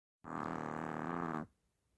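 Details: Hershel, a sleeping Chihuahua said to snore like a human, gives a single loud, buzzy, rasping snore of just over a second, starting abruptly and fading into quiet.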